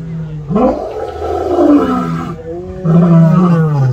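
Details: Captive lion at San Diego Zoo roaring: a deep, moaning call that swells and rises, holds for about two seconds, pauses, then resumes with a strong low-pitched second roar.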